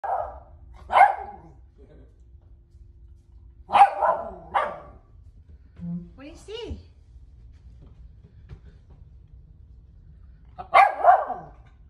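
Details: A West Highland White Terrier indoors barking at her own picture: sharp single barks, some in quick pairs, spaced several seconds apart, with a woman speaking softly between them.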